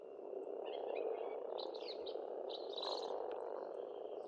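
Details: Estonian pond in spring, frogs croaking as a thick, even chorus; brief warbling bird notes rise over it in two bursts.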